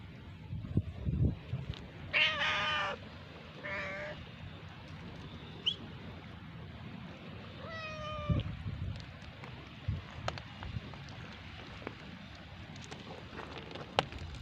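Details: Male cat, jealous and guarding his female from an approaching person, giving a few harsh, strained meows: two close together near the start, a fainter one, then a longer clear one near eight seconds, amid rustling and handling noise outdoors.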